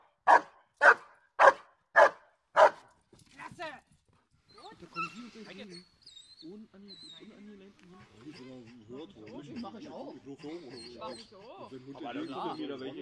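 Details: Giant Schnauzer Blackmoore Uno in protection work training, 5 January 2019: five sharp, loud barks in quick regular succession, then the dog falls silent while men talk at length in German.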